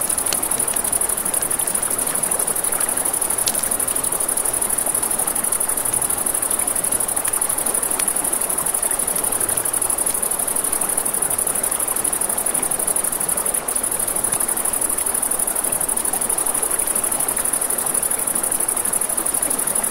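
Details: Crickets trill nonstop at night near a river, a bright high-pitched steady buzz, accompanied by a campfire's intermittent crisp crackles and the low wash of flowing water.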